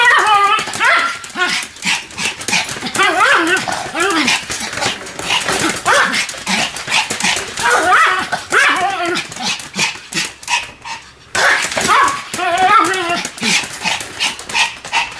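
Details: A pair of Pomeranians in duet barking, trading shrill, quick-fire yaps and wavering, howl-like cries that overlap continuously, with a brief pause near the eleventh second.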